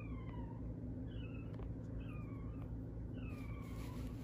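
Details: Poodle and Shih Tzu mix dog from a dog breeder in Okayama, Japan, giving four thin, high whines within four seconds, each sliding downward with a faint overtone, over a steady low hum.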